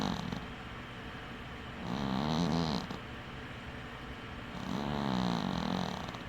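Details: Snoring from a dwarf cat, Winky, asleep with one eye open; the tail of one breath, then two full low, wavering snores about three seconds apart, each carrying a gentle raspy hiss.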